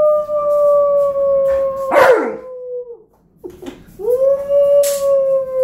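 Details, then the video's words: A long, flat, steady howl from Tonka, an Alaskan Malamute, joined by a child's brief cry, then a short pause and another howl rising into a sustained tone; recorded inside while the four-year-old nephew howls along. "Howling together ♡! Tonka the Alaskan Malamute Reacts to his 4 year old nephew's howling ♡!"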